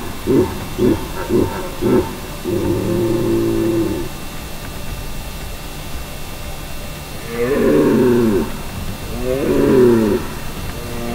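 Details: A red deer stag bellows during the rut in Val di Pejo, Stelvio National Park, Trentino, opening with rapid throaty grunts before drawn-out hoarse roars.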